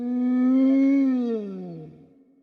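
A wolf gives a short, smooth howl that rises slightly, holds, then slides down and fades.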